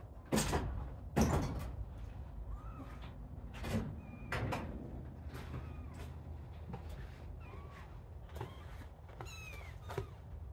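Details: Little kittens at play give short, high mews with gliding, bending pitch, scattered through the clip between sharp knocks and thumps like a cupboard or door moving.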